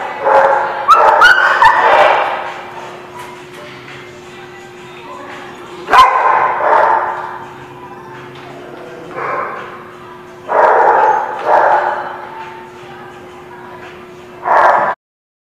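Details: Dog barking recorded on 14 April 2017: loud, broad bursts of barks cluster near the start, then return around six, nine, eleven to twelve and fourteen seconds, over a steady low hum.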